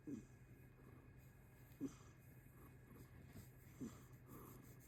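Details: Rescued kitten, 11 months old and grown chubby, snoring while relaxed: soft, low breathy snores about every two seconds over a quiet steady hum.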